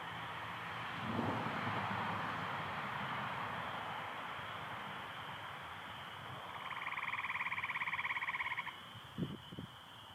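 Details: Michigan chorus of spring peepers with American toads on a spring night, 24 April 2025, partly overcast: a constant high shrill peeping band throughout, a low rumble early on, and a loud toad trill with fast even pulses for about two seconds near the end.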